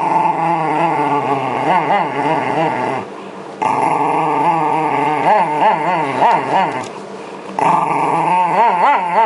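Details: Brushing session for Shiba Inu Yamato, losing winter fur as spring approaches in 2012. A loud, sustained, rippling growl runs almost continuously, wobbling rapidly in pitch, broken by two brief breaths.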